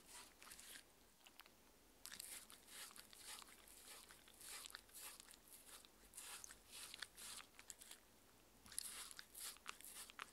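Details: A six-year-old female Shetland Sheepdog named Mindy chewing her dinner of steamed chicken and raw beef in a small room; scattered crunchy bites and snaps in short groups separated by brief near-silent gaps.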